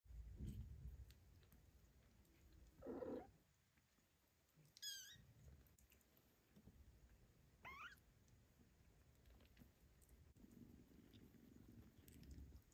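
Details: Domestic kittens being weaned off their mother cat's milk, jostling to nurse before running to pâté; two brief, thin, high mews with rising-falling harmonics near five and eight seconds, between soft low rustling and shuffling.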